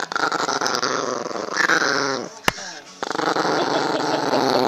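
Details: Recently adopted pet dog growling indoors when his mouth is held closed; a rough, continuous throaty rumble with a brief pause midway, then resuming, mixed with people talking nearby.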